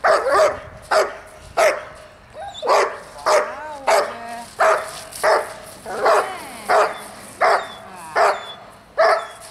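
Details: Barking dog used as a distraction while a nearly nine-month-old dog trains at a dog school. Single loud barks come about every half second to second, fairly evenly spaced, with a faint whine between a few of them.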